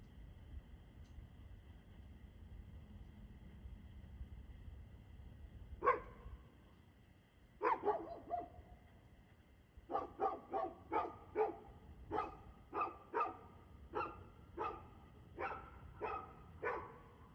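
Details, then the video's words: Dog barking, 2/6/2024 at 6:02 pm: after a quiet opening come two isolated barks, then a long steady run of about fourteen sharp barks, roughly two per second, over a low background rumble. "Barking Dog"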